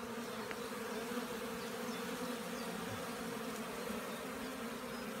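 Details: Honey bees around rows of hives flying in the warming sunshine of 15 April 2016 after more than a week of rain; a smooth, unbroken low buzzing hum dominates, with faint ticks and clicks.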